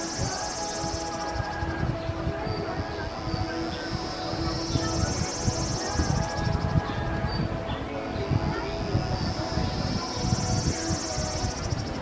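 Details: Kaempfer cicadas at a campsite in Namasia, Kaohsiung, Taiwan, on 26 May 2018 around 17:07 give a high, hissing buzz that swells and fades every few seconds.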